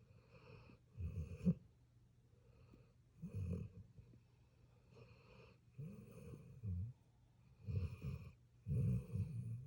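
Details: Sleeping puppy snoring softly, with short, low, rasping breaths that come in irregular bursts, some close together in pairs, against a quiet room background.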